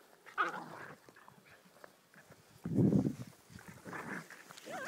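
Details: Playing Whippet puppies, Betti and Jack at three months with Ashley at four months: a wavering squeaky whine opens, a low rumbling growl swells midway, then more whimpering and a final wavy high yelp.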